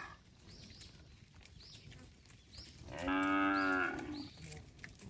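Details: Tame cattle walking along a road as a herd is driven: one loud, drawn-out moo of about a second, sounding after quiet moments of faint background chirps.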